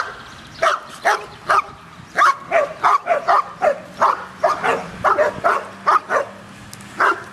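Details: Excited barking from dogs at a dog park, quick repeated barks about three to four per second in a near-continuous run, with low background noise.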